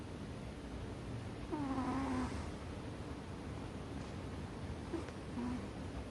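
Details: Sound asleep on top of a chest of drawers, American Shorthair Ame-chan gives one long wheezy snore, then two short faint snorts a few seconds later, against quiet indoor background.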